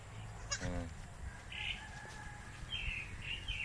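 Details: Baby goat making a weird sound: one short, nasal, harmonic bleat of under half a second, with high bird chirps and low rustling and thumps in the background.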